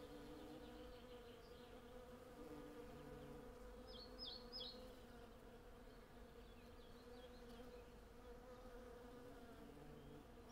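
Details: Swarm of hundreds of western honey bees working a flowering cherry tree, a dense unbroken low hum filling the whole stretch. Only a brief cluster of faint high bird chirps appears near the middle. Recorded on Zoom F6 and Sennheiser MKH 8040.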